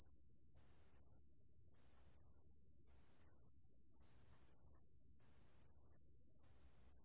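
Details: Chirping pale bell cricket, 2020 National Institute of Biological Resources recording: bright, high-pitched ringing trills lasting under a second each, separated by brief gaps, repeated regularly about once per second with little else audible.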